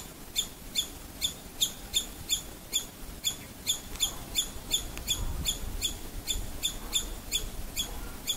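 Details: Scared female squirrel sounding her alarm: crisp, high-pitched chirps repeated nearly three times a second in an even run, with a quiet murmur of low background noise beneath.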